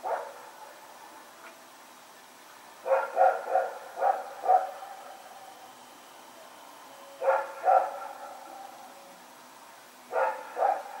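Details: Rex, a dog running around at night, recorded September 21, 2018: short harmonic barks in bursts, a pair near the start, four in quick succession around three seconds, two more after seven seconds and two near the end.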